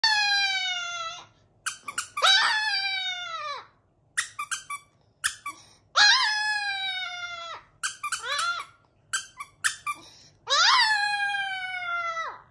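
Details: Chihuahua howling in a string of loud, high, harmonic wails, each about a second long and sliding downward in pitch, broken up by short yelps and squeaky whimpers between the longer howls.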